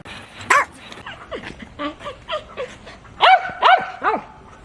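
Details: Yorkshire Terrier giving a run of short yips and whiny, pitched barks over steady background hiss, with three louder, ringing barks close together near the end.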